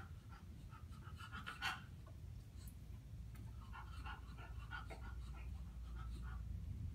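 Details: Female bulldog panting softly indoors during a shaping session, learning to step onto a platform with all four feet; quick, airy breaths with faint clicks and a low room hum beneath.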